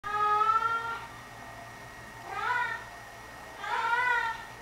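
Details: A pet cat indoors singing to her sock: three drawn-out, wavering meows with rich harmonics, the first long and steady, the next two rising then falling, separated by quiet pauses.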